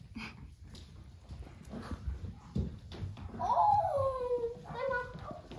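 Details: Cavalier King Charles Spaniel puppies, fourteen of them, having the zoomies indoors in a living room in the morning; a thin, high whine slides downward for about a second, followed by a couple of shorter whimpers, with soft human speech and rustling around them.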